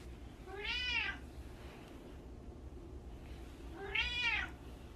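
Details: Pet cat meowing indoors after being sung to and asked to say meow: two clear, harmonic, arching meows about three seconds apart, each under half a second long, over a low steady background hum.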